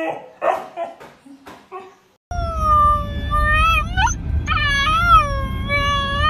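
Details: A Siberian Husky throwing a fit about not going out: short yips and whimpers first, then after a pause a loud sustained wavering howl that bends upward twice, over a low rumbling background.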